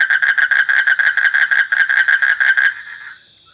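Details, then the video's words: A frog gives a quick series of about fifteen loud, rough, pulsed notes, then falls silent, leaving a faint high ringing hum. "Suara Kodok / Frog Sound"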